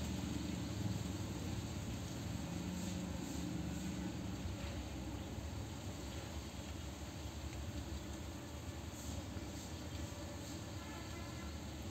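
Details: Steady low rumbling noise like a passing vehicle or engine throughout, with no clear animal sound heard.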